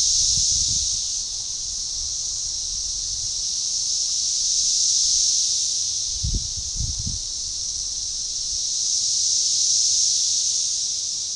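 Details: Synchronizing chorus of Magicicada tredecassini at a forest edge near DeValls Bluff, Arkansas, June 7, 2015; high sizzling drone pulsing in slow loud swells, with a few brief low knocks near the start and about six seconds in.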